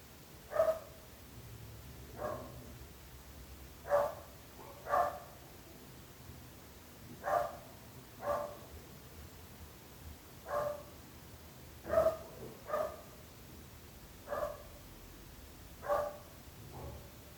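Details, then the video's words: Dogs kept by neighbours barking at length: short harmonic barks, mostly single, about every one to two seconds, some in quick pairs, over a faint steady background hum. "26 minuts gossos lladrant / 26 minutes barking dogs."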